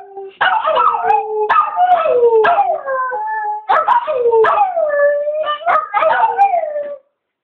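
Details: Chewy the Chihuahua, howling after his owner gets him going, gives short quavering bursts, each yelping start sliding down into a thin wail, as if in great pain; Chihuahua.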